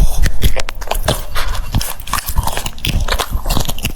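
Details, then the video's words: Close-up crisp cucumber bites from an eating French Bulldog, sharp cracking crunches followed by rapid irregular chewing clicks throughout, indoors. "The sound of chewing cucumbers"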